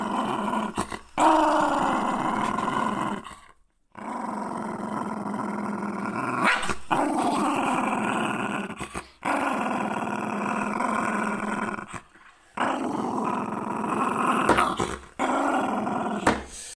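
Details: Jack Russell Terrier defending its owner, growling in rough, raspy stretches of two to three seconds, broken by short pauses, steady and sustained throughout.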